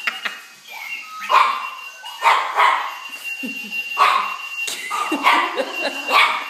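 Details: Puppy scared of a clocky alarm clock, giving sharp high-pitched barks and yelps in a repeated irregular series, with a steady electronic alarm tone sounding underneath throughout.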